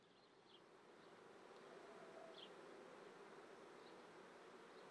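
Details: Many honey bees at a Treviso apiary on a May morning in 2010, during swarming season: an even, rough hum that swells a little, with a couple of brief high chirps.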